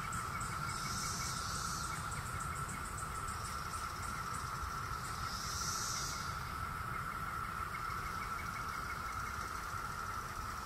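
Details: A dense chorus of Brood X periodical cicadas during the 2021 emergence in Virginia (Great Falls or Mount Vernon) holds one unbroken, whining drone. Two brief hissing surges rise above it over low, rumbling background noise.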